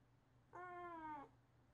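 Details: A calico house cat that wants a late-night walk answers its owner calling its name with a single drawn-out meow, steady and then slightly falling at the end.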